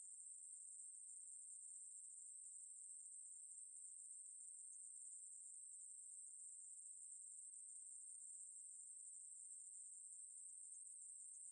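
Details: Ruspolia katydid song as a long, level, sizzling high buzz, constant in pitch and volume with no gaps, in a quiet background.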